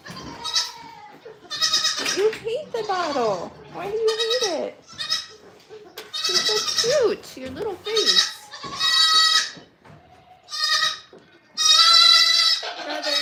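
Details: Goats at The Willful Goat Farm & Home keep up loud, shaky bleats at irregular intervals while a person speaks in the gaps and sometimes over the calls.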